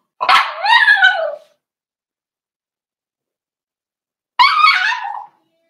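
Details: Cavalier King Charles Spaniel puppy, four weeks old, in an indoor puppy pen while being socialized with other dogs. It gives two loud, drawn-out cries, each about a second long, harmonic and bending downward, separated by a few seconds of silence.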